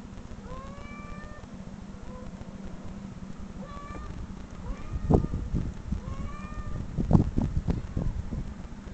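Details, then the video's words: Recorded cat meows, played from online videos, set off a dog's growling and guarding; five or six clear, bent meows rise then fall, mostly in the first half, followed by deep thumping bursts over a constant low hum. "cat meow"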